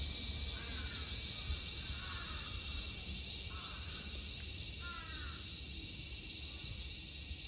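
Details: A summer cicada chorus recorded in Japan in 2022 gives an unbroken, high, hissing drone that holds steady throughout. About five short crow caws are faintly heard at intervals below it.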